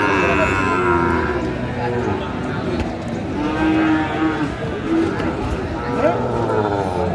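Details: Sahiwal bull at a cattle market in Cumilla, Bangladesh, on 11 February 2025; overlapping low lowing moos with harmonic bands among crowd chatter and market noise, other cattle calling nearby.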